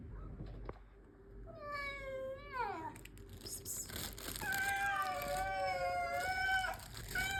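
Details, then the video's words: Street cats being fed outdoors, giving drawn-out falling meows, then a long wavering meow overlapping a second voice, with background clatter and a person speaking. "Feeding cats at street, them making sounds!!"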